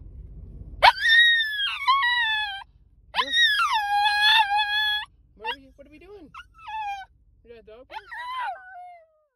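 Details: A tiny Pomsky, excited on arriving at the dog park, gives high, drawn-out howls that slide downward, broken into several excited bursts.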